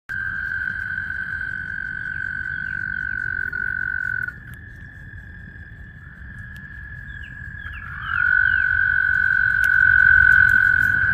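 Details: Frogs calling at a vernal pond in spring during mating: long, sustained, high, even-pitched trills that overlap, fading slightly midway before a louder caller joins near the end, with low outdoor rumble beneath.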